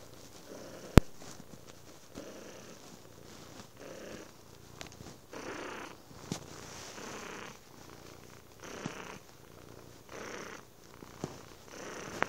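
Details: Domestic cat purring after dinner indoors; a soft, low rumbling purr runs steadily, swelling in gentle pulses roughly every second or two, with a few sharp clicks and faint room noise.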